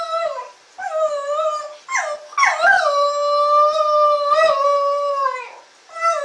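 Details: Shetland Sheepdog named Shaq in his first howls: sustained, harmonic, mid-pitched wails with slight wavering, broken by short yelping breaks and brief gaps, each howl held for one to three seconds.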